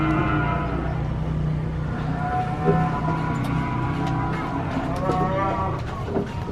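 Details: Deep, drawn-out cattle moos, several animals lowing together with strong low harmonics, as cows and bulls are released from a truck.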